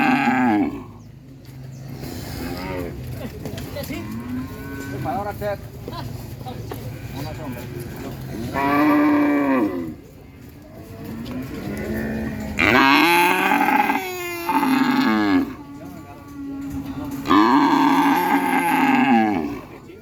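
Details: Cattle mooing repeatedly: several long, drawn-out moos, each a second or two, arriving every few seconds, some rising and falling in pitch, with quieter rumbling and shuffling between calls.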